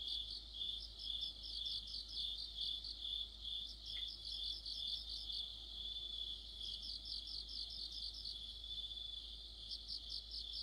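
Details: Crickets and other insects singing together in the middle of autumn, an autumn night orchestra near a streetlamp: a steady high shrill band with overlapping pulsed chirps repeated a couple of times per second, several singers layered.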